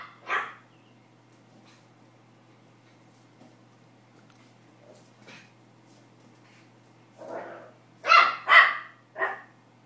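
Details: Pomeranian puppy barking for the first time, excited while attacking a tennis ball; one sharp yap, a long pause, then a quick cluster of four high barks near the end, with a faint steady hum beneath.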